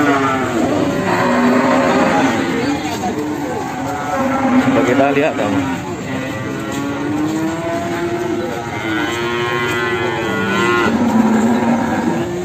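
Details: Cattle at a busy Sragen livestock market where jumbo Simmental cattle are sold, giving several overlapping moos of varying pitch amid constant talking, background music and passing vehicles.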